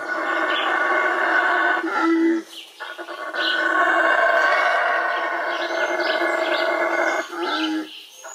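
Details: Loud wild Yucatan black howler monkey roaring in long, gravelly, droning howls, two extended bouts separated by short pauses and softer grunting notes.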